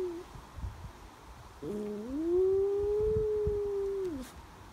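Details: West Highland Terrier Brody in Nottingham howling in tune with ambulance sirens, September 22; a low start jumps into a long, steady, slightly arching wail lasting over two seconds before sliding down and stopping.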